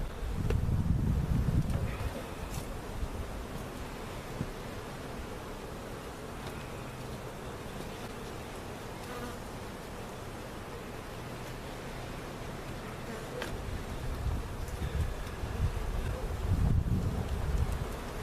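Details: Honey bees from a giant cutout hive being moved into their permanent location at Jerome Bee Farm, Central Oklahoma; a steady low droning hum with faint higher tones, swelling louder at the start and end amid handling rumble.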